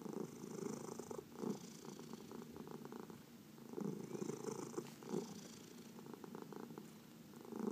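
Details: Relaxed domestic cat purring while massaged, one of four adopted pets including senior cats from the Humane Society of New York City; low pulsing rumble rising and falling about every few seconds, faint fur-rubbing sounds.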